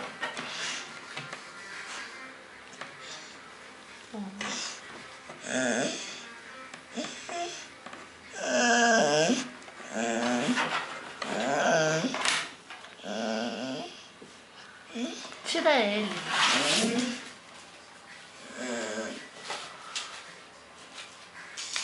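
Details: A Bull Terrier waking up from sleep and looking for its owner gives a series of wavering, moaning whines and grumbles, with a person briefly calling to it.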